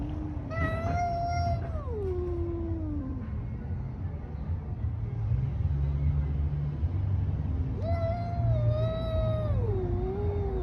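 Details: Two bouts of growling caterwauls from cats fighting outdoors on a street, each a high wail bending down into a low moan, with a strong low hum or traffic rumble underneath.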